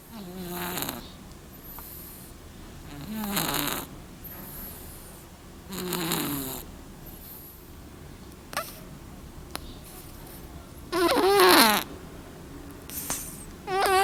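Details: A black little cat snoring: rasping, slightly wavering breaths recur about every three seconds, with a louder, longer snore near the end and faint clicks in between.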